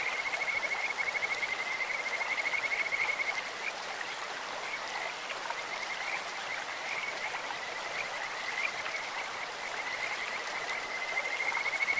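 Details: Kajika frogs in a clear stream give sweet, insect-like trills, rapid pulsed notes holding one high pitch for several seconds at the start and again near the end, set against continuous hissing stream water.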